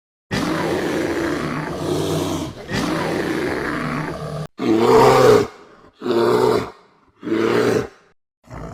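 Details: Bear; growl and roar; territorial defense and asserting dominance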